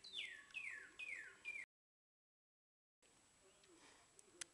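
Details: Three bright, falling squeaks come from a baby squirrel at feeding time, then the sound drops to near silence with a couple of soft clicks.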